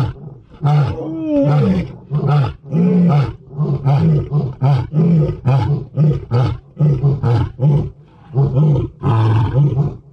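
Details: Two lionesses roar in the rain, a deep roar breaking into a long run of short, throaty grunts repeated roughly every second.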